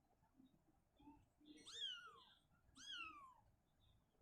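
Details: Shizuka, a mother cat uneasy living in a cabinet, moves her kitten back to an open area. Two clear drawn-out meows, each sliding downward, sounded about a second apart against a quiet indoor background.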